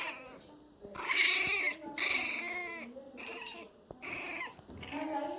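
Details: Miniature pinscher crying very loudly: a run of high, strained whining wails, each roughly half a second long with rich overtones, coming about once a second with short quiet gaps between them.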